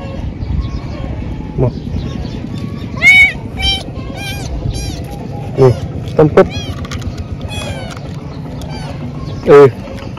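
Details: Thin kitten found crying and in need of help, giving a handful of short, rising and falling meows spread across the stretch, some doubled, over a steady low background rumble.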